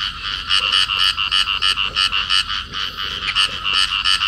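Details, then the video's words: A clasped pair of field frogs calling: a continuous train of bright, rasping croak pulses at about three per second, fairly even in loudness throughout, with nothing else clearly audible. "cặp nhái đồng ôm nhau kêu"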